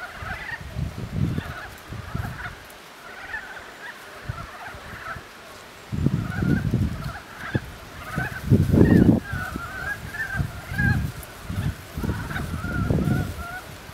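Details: Ezo brown frogs calling at spawning time, recorded 23 April 2013, the throat puffed up while calling; short croaking notes repeat irregularly in a loose chorus, mixed with low thumps and splashing.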